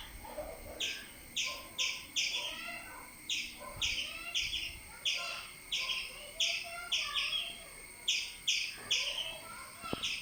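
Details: With a cat climbing the tree toward it, a squirrel gives rapid chirps: loud, scratchy chips in clusters of two to four, repeating for the whole stretch, with soft lower twittering and faint noise beneath.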